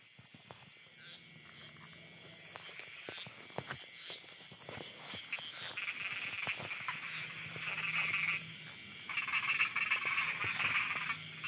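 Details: Frogs croaking at night in Thailand: scattered sharp clicks and croaks at first, then a rising chorus of rapid trilled calls that peaks in two loud bursts near eight and ten seconds, over a low background hum.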